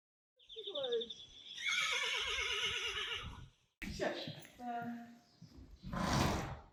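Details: Friesian horse photographed as a model calls with a high whinny that drops and then trembles in a wavering vibrato for about three seconds, followed by snorting and Dutch speech.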